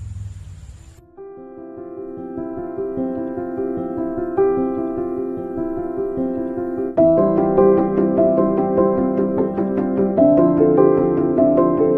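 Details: Soft sustained piano and keyboard music with layered chords, and no animal voice. The music swells in fuller harmony partway through.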